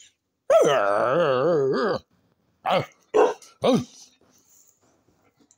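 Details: Pet dog Peppi vocalizes indoors, wanting a cow's skull: one long wavering, moaning yowl of about a second and a half, then three short rising-falling yelping syllables in quick succession before silence.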